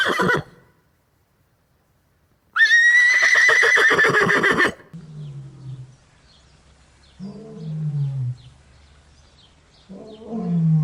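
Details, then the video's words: A horse gives one long, quavering whinny that starts high and shakes downward for about two seconds, followed by short bursts of low, rumbling grunts and nickers. "Farm Animal Sounds: Horse"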